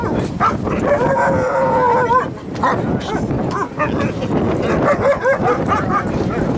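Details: Sustained, wavering howls come from Siberian Huskies gathered at Huskycamp 2013 on a Saturday morning. The tones rise and fall in overlapping lines, with several dogs joining in amid general camp noise.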